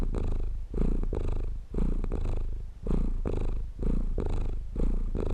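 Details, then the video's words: Steady low purring from a cat, meant for relaxing: continuous throaty vibration that swells and fades in breath-length cycles close to one per second, nothing else audible. "Cat Purring For Relaxing And Sleeping"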